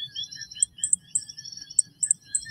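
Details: An adult male coquí llanero in dense wetland habitat in Puerto Rico gives very high, thin, tinkling pips. It is quieter than the other coquí species calling behind it, possibly including the common coquí.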